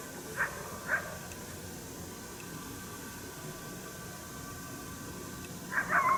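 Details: Wild coyote heard but unseen during a coyote hunt at St-Andrews on 1 March 2019, giving a challenge bark, displeased at the hunter's presence: two short sharp barks, then a louder rough bark pair after a long quiet gap.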